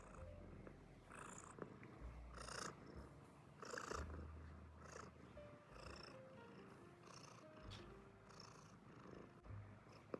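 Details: American Shorthair cat purring: a steady low rumble pulsing in long bursts about every one to two seconds, with faint soft background music and a few light higher clicks.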